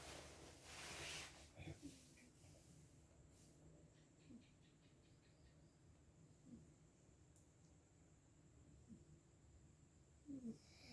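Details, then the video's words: A tired, sleeping cat snores softly, with faint low rasping breaths about every two seconds after a short burst of noise at the start. "sepertinya kelelahan, Bobonya ngorok"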